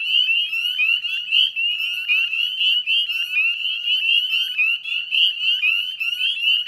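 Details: Northern spring peepers calling together in a wetland at West Chezzetcook, Nova Scotia, at dusk in May 2020; many piercing upslurred peeps pile over one another, forming a steady, ringing chorus with no other sounds.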